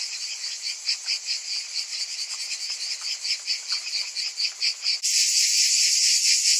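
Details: Cicadas on a hot summer afternoon: a dense, shrill buzzing chorus pulsing about twice a second, then swelling abruptly into a louder continuous hiss near the end.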